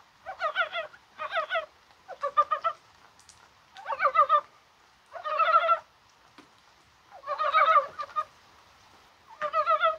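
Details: Mountain frogs in January rain, on a day that felt like spring, calling perhaps while laying eggs. Clucking pulse trains repeat in about seven separate bursts with short silent gaps between them.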